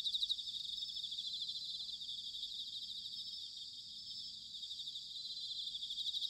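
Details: Bell crickets singing in autumn at Sanuki, Chiba Prefecture, Japan: a dense, steady high-pitched ringing chorus of overlapping trills, shimmering continuously without pause, with faint low rumble beneath.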